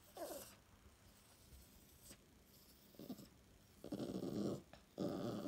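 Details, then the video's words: English Toy Terrier, a female, growling for her morning cup of tea indoors: low rumbling growls in short bursts, the longest near the end, separated by quiet pauses in a small room. "English Toy Terrier DESPERATE for her morning cup or tea"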